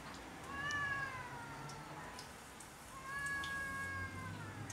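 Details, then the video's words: Territorial quarrel between cats on house roofs: two drawn-out, nasal wails, each about two seconds long and sliding gently downward, with a low rumbling background. "Cats quarrel over territory on house rooves"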